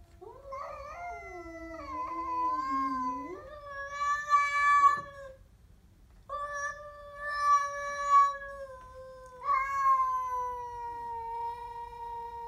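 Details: A Siamese cat growls at a stray with a long series of wavering, moaning yowls. They run almost continuously with only short breaks, swelling louder and harsher at times.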